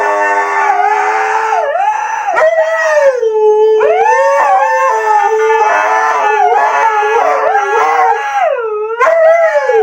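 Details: Siberian Husky giving a long, continuous howl full of repeated rising and falling swoops, a wavering, almost song-like line that stays loud throughout with strong overtones.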